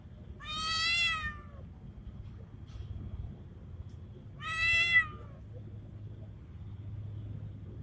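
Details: Calling for a female, a male street cat in heat that resembles a Bengal gives two loud, slightly falling meows about four seconds apart, with a quiet hum in the gaps.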